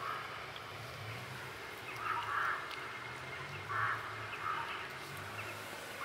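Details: Kitten with blue eyes in a basement mewing in brief, slightly wavering cries, three or four spaced a second or so apart, over a constant low droning hum.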